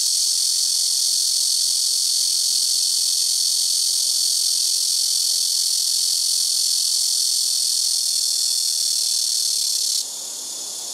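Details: Blackish cicadas in rooftop trees produce a harsh, steady, high-pitched buzz that runs unbroken for about ten seconds, then cuts off abruptly, leaving a fainter background hiss from other cicadas.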